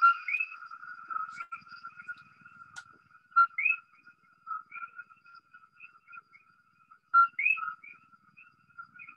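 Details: Common coquí frogs (Eleutherodactylus coqui) in Puerto Rico, heard every night, give a two-note co-QUÍ advertisement call: a low first note to repel rival males, then a sharply rising whistle to attract females.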